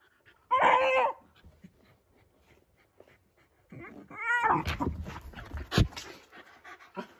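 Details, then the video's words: Shiba Inu indoors, furious that its beloved plastic bottle cap lies under the sofa: a short tonal bark early on, then a strained rising whine with scuffling, panting and clattering noises as the dog works at the gap. "(音量注意) ○○に激怒している柴犬"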